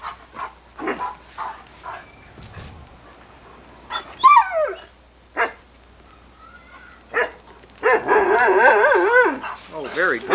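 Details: Irish Setter Sunny, daughter of Ed, on a 1987 VHS recording, answering her owner's coaxing. Short yips and barks are scattered among a person's words, then comes a long wavering, warbling howl-like 'talking' vocalization near the end.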